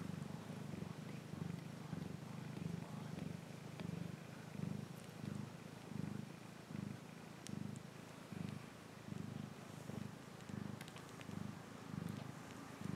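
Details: Domestic cat purring steadily, a low rumbling throb pulsing in regular cycles of inhale and exhale, roughly one and a half per second, with faint clicks and light rustling in the background.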